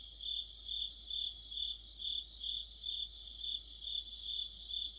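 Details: Crickets and fellow insects singing together in mid-autumn by a streetlamp; bright, high chirps swelling and fading in a regular beat of roughly two per second, several callers overlapping.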